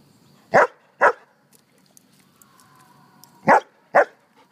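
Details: Joyful dog Mac, barking and rolling in the grass, lets out a quick double bark, pauses over two seconds while a faint steady tone drifts in, then repeats another snappy pair of barks.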